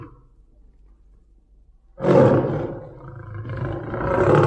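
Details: A tiger on a highway lets out a deep, rough roar that swells suddenly after a quiet pause.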